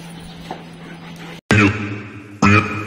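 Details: Dog at a training school, recorded 17 September 2022: loud harmonic barks, one near the midpoint and another close to the end, over a steady hum.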